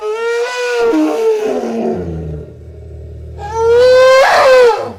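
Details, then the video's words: Elephant giving two harsh, brassy trumpet blasts rich in harmonics, separated by a deep, throbbing low rumble. The second blast is louder and more strained. "SOM DE ELEFANTE"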